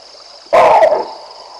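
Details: Baboons barking at a lion as it strolls down the Olifants River in the African bush: one sharp, loud, harsh bark lasting about half a second over a steady high insect hum.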